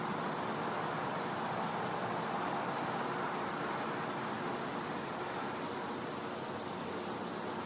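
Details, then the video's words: A Florida back yard on a winter night, where cicadas keep up a continuous thin, high, ringing drone at a constant pitch above a broad, even wash of hissing noise. "Cicada Sounds | Florida | Night"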